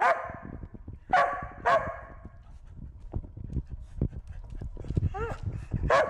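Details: Corgi herding a bee: three loud barks in the first two seconds, then patchy clattering and rustling noise with a few softer yelps and barks toward the end.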